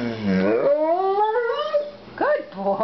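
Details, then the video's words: Pet dog "talking" back to its owner: a drawn-out, rising and falling howling moan followed by short yowling syllables, with the owner's voice nearby. "talking dog"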